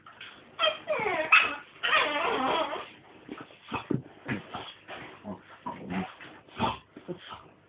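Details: Staffordshire Bull Terrier mother and her nine-week-old puppies playing quietly indoors: a run of high, squeaky whimpers and short yips in irregular bursts, some drawn-out whining squeals, with soft scuffling between them.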